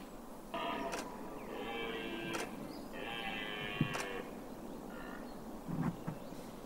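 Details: Red deer during the rut in the Weerter bossen of Limburgs Landschap, recorded 100 to 300 metres away on a Panasonic camcorder: four drawn-out, rough harmonic roars lasting up to a second each, broken by sharp camera shutter clicks from watching photographers.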